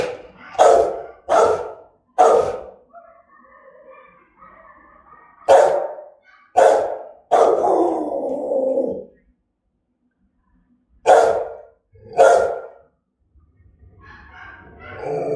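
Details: Rottweiler Gervi Melsee barking fiercely and threateningly: bursts of two or three sharp, powerful barks, one drawn out into a rough, trailing sound, with pauses of a few seconds between groups.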